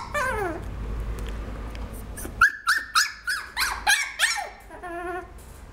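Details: Cavapoo, a Toy Poodle and Cavalier mix, producing a falling whine and then a quick series of sharp squeaky yelps, about eight in three seconds, ending with a short tonal whine.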